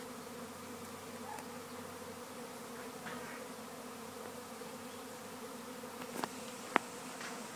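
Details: A European honey bee swarm searching for a new hive, passive, fills the air in Gawler, South Australia, with a dense, steady, low droning hum.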